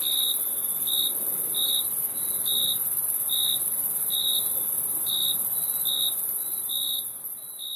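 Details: About a dozen crisp, high cricket chirps repeat at an uneven but steady pace, layered over a continuous whining hiss of insects.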